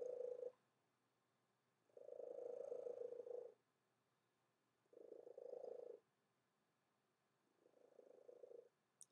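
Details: A pet domestic cat that has always purred very loudly gives four rhythmic buzzy rumbles, each one to one and a half seconds long, repeating every two to three seconds with quiet gaps between, and a brief click at the end.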